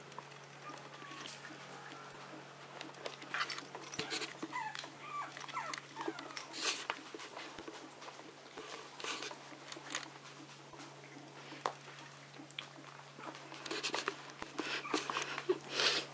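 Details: Maltese dogs from a Herzen kennel, alongside Yorkshire terriers, playing indoors in a small room: faint short yips and squeaks scattered among soft pattering and scratching, with a steady low hum and occasional quiet human speech.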